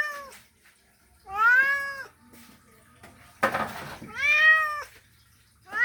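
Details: A male cat calls for a female with long, bending meows, three strong wails each rising and dropping in pitch, interrupted midway by a sharp burst of noise.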